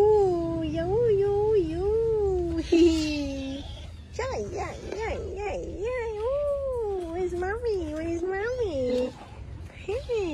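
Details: Domestic cat at home giving long, wavering meows that rise and fall continuously for about nine seconds, with a brief break near the middle, over faint room noise.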